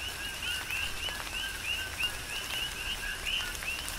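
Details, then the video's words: Coqui frogs on the Big Island of Hawaii calling through a tropical shower: clear co-qui notes, a low tone jumping to a rising chirp, about three per second across the chorus, with rain dripping. "Tropical Rain & Coqui"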